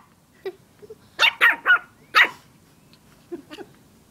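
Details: Dog barking at a stuffed toy dog in a quick run of four harsh barks within one second, followed by quieter scattered sounds and soft clicks.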